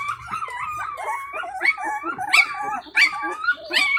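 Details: A puppy of a stray Indian Pariah Dog cries to get its mother's attention as the litter gathers to feed. Rapid overlapping high whines rise and fall in wavering, yelping bursts without pause.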